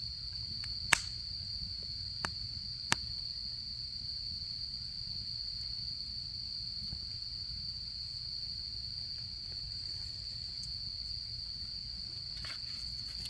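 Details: Autumn insects sustain a seamless high trill at a campfire, with a few sharp crackles early on and faint scattered pops later.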